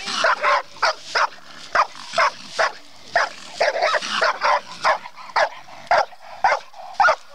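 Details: Bluetick coonhound trained on a raccoon, barking hard and fast in an uneven run of short, forceful barks, some doubled, with faint background noise between them.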